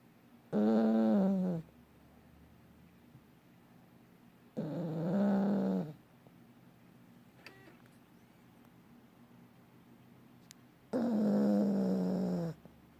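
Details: Sleeping, dreaming dog snoring in three loud, droning, buzzy breaths, each one to two seconds long and about five seconds apart, with near-silent gaps and a couple of faint clicks between them.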